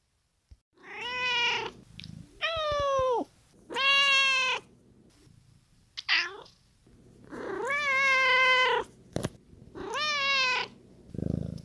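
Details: Domestic cat meows replayed as the answer to a children's library story-time brain game counting meows: a quick series of clear, harmonic, drawn-out meows, each bending down in pitch at the end, separated by short pauses.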